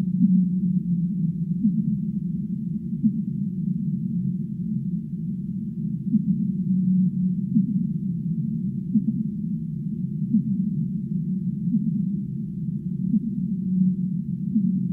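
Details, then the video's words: Relaxing whale sounds for sleep: a continuous low droning wash with scattered brief moaning notes and small tonal swells, steady in loudness throughout. "5 minutes of relaxing Whale sounds"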